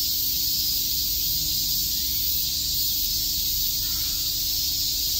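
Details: Cicadas at Shakujii Park, Tokyo, in summer daylight: an even, piercing buzz-hiss that fills every moment without rhythm or gaps, a faint low hum and slight background murmur below it.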